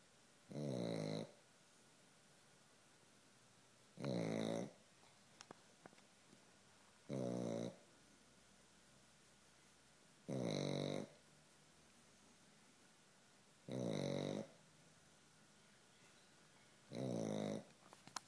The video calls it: Ridiculous snoring pekingese